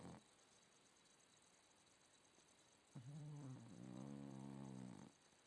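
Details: A blue Staffordshire Bull Terrier snoring: a quiet, low, voiced snore with a steady buzzing drone for about two seconds near the end, after a brief rising snort, over faint background hiss.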